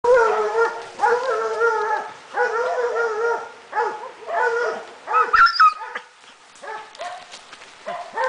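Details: Swiss Hound (Canis familiaris), baying barks: baying at wild boar during a hunt.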